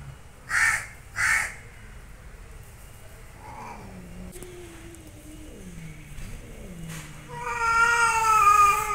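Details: Angry cats fighting and growling: two harsh crow-like caws at the start, then wavering, descending low yowls, ending in a loud, sustained, rich-toned caterwaul with a slight warble.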